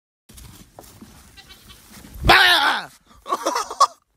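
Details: A fainting goat gives a loud, wavering bleat, followed by a shorter, broken second bleat.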